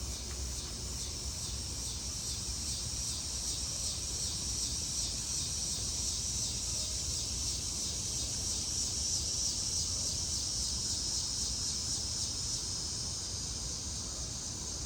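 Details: Summer evening insect chorus of cicadas, locally called locusts, in Maryland trees in August: a high, shimmering buzz with a fast pulsing texture running continuously, and faint low ambient rumble beneath.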